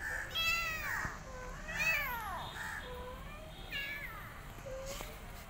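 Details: A rescued mother cat looks after her own kittens and an adopted kitten; several bright, wavering meows overlap early on, then softer, shorter mews follow at a slower pace.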